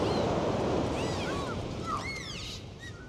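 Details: Dolphins swimming and playing in the sea give several short, arching whistles, some rising and falling, over a steady wash of surf and sea noise.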